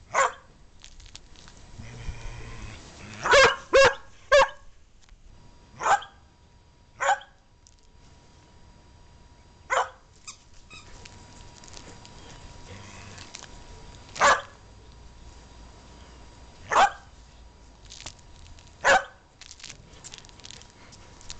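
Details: Cody, a dog playing with his companion Dylan, barks as he always does at play: sharp, loud single barks spaced irregularly, some in quick pairs and triplets, about ten over twenty seconds, with a low steady hum underneath.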